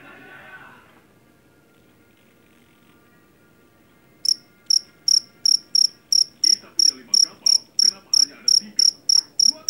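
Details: Jangkrik jeliteng, or Javanese cricket, caught in a rice field; its loud, shrill chirping is said to drive rats from the house. Sharp high chirps repeat about three per second from midway, after brief speech and faint steady tones.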